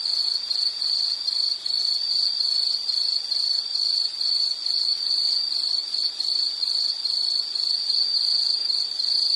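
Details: High, rapid insect chirps pulse on without a break, a dense even trill set against a soft hiss in a calming nature recording.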